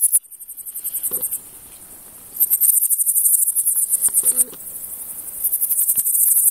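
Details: Pholidoptera frivaldskyi bush cricket in a humid meadow near Kosari, Cherkasy Oblast, central Ukraine, 5 July 2023; very high, rapidly pulsed buzzing trains lasting one to two seconds, separated by short pauses, with faint ticks between.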